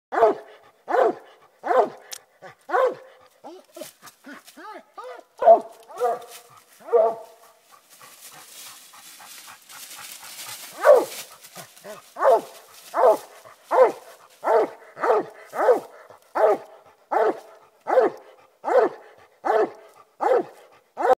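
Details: An 11-year-old Walker bluetick cross coonhound treeing a raccoon on a hunt, giving loud bawling barks repeated roughly every second, a brief pause with rustling noise midway, then steady regular barking resumes.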